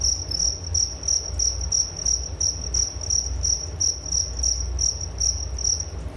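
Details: High, bright cricket chirps pulse in a regular beat, close to three per second, clear and dominant over a quiet low-frequency rumble.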